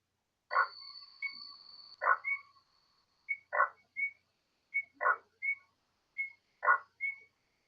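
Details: Leopard treefrog, Boana pardalis, recorded call played as an example of its vocalization: short loud tonal pulses repeated about every one and a half seconds, each followed by a brief higher whistled note, in otherwise silent surroundings.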